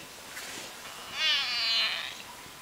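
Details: Pet cat giving one strange, strained meow that swells and wavers for under a second in a quiet room.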